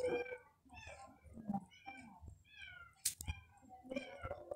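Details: Cat, apparently a young kitten, playing with a string indoors, giving a run of short, high, harmonic mews, some rising then falling, about one every half second, with a sharp click near the middle.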